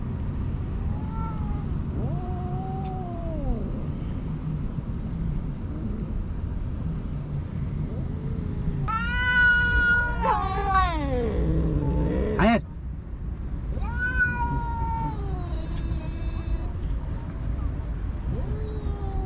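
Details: Tiny motherless kittens found on the street and raised at home, around wet cat food: repeated meows, some short and arched, one long cry sliding downward, then a rising-falling call, all over a steady low rumble.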